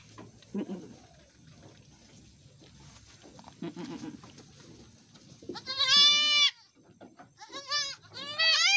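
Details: Etawah goats at a goat farmer's place in Bukittinggi, West Sumatra, during a doe giving birth: quiet murmuring and soft speech, then a loud, high, wavering harmonic bleat followed by two shorter bleats near the end.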